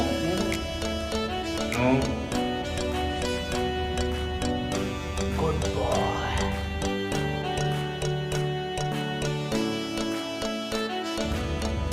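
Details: Busy country-style music with guitar and fiddle under a voice, with no animal sounds.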